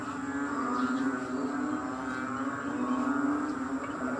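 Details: Dense chorus of frogs in Kadaruhan after rain, recorded 6 am on May 22, 2022. A constant low, buzzy hum of overlapping croaks with faint higher pulsing notes above it.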